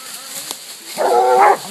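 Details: Coonhounds treeing a raccoon at a new hunting spot, Walkers, a Bluetick and a Black and Tan: one drawn-out bawling bay swells after a second of quiet hiss.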